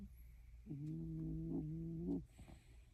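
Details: Sleeping Shiba Inu dog breathing audibly in its sleep: one quiet, low, steady humming breath sound held for about one and a half seconds, then fading into near silence.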